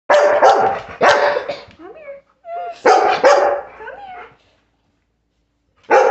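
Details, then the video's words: Bernese Mountain Dog frightened by a person in a Halloween costume, barking loudly in two bursts of about three deep barks each, with short whining yelps between them, then a fresh bark starting at the end after a brief silence. "Bernese Mountain Dog scared of Halloween costume"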